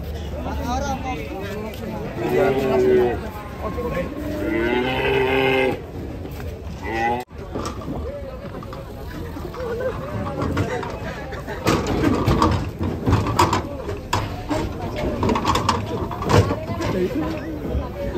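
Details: Cattle, unruly and agitated while being unloaded from a truck, give drawn-out harmonic lowing calls around the first few seconds, then stamping and clattering follow amid people talking and background vehicle noise.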